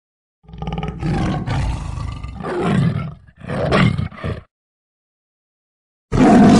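A tiger gives deep, rasping roars in several long bursts, separated by brief pauses.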